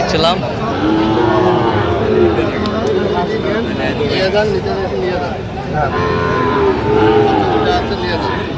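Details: Sahiwal breed bull calves offered for sale at a Jamalpur cattle market, Bangladesh, 31 August 2025. Two long, hoarse lows rise well apart over constant talk and chatter among the crowd.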